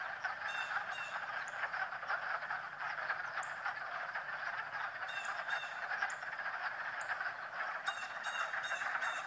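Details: On a fine March day frogs croak as they swim, making an unbroken, buzzing, rattling chorus with repeated short high clicks and chirps breaking through at intervals.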